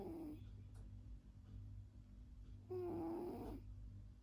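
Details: Sleeping cat snoring, two raspy breath sounds with a brief tonal buzz, separated by a pause, over a constant low background hum indoors.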